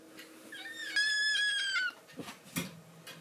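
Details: Rescue kitten Momiji, in foster care, threatens kitten Kuromame indoors to keep a man's lap to herself. One drawn-out, strained, nasal cry of about a second drops slightly in pitch at the end, followed by soft rustling and handling noises.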